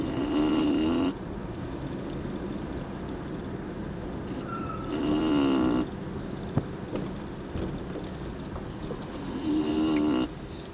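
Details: A female English Bulldog, asleep on the way home, snores in loud, rasping, droning bursts about every four to five seconds.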